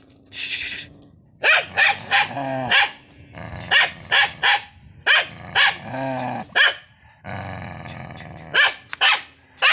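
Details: Angry dog barking: sharp, rapid barks in clusters of two to four, some with a rough growling edge, fill the recording with brief gaps between bursts.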